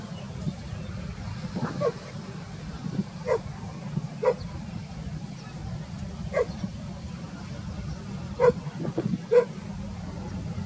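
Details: Labrador Retriever in a rural setting in summer, meeting a female dog; short sharp barks repeat roughly every one to two seconds over a steady low rumble of background noise.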